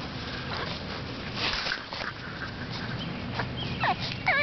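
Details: Seven-week-old AKC Boston Terrier puppies from a litter of Bosarts Sparkle and Champion General Lee give thin, high, wavering whimpers, clustered toward the end over steady rustling and handling noises.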